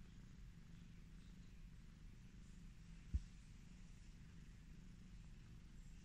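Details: Cat being petted, purring softly in an even low drone for the whole stretch, interrupted once midway by a single sharp tap or knock.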